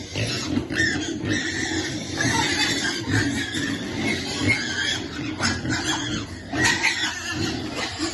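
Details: Piglets awaiting food keep up rough grunting, punctuated by short, sharp squeals every second or two.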